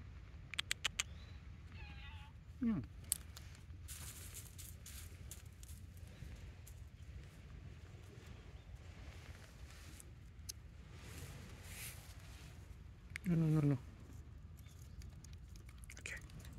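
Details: A hungry orange tabby cat on Manabejima cat island, Okayama, Japan, gives a few short, rising meows one morning, asking to be fed, against a low background hum.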